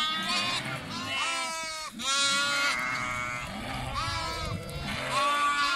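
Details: Several lambs calling over one another, with loud tremulous bleats rising and falling about every two seconds over a steady background of more bleating.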